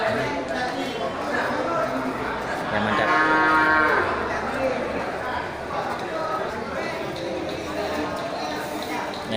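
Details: Water buffalo at a quiet buffalo market in Geulumpang Payong, Bireuen, Aceh, 10 October 2020, with few buyers. A single drawn-out, harmonic moo lasts about a second midway, over steady crowd chatter and market bustle.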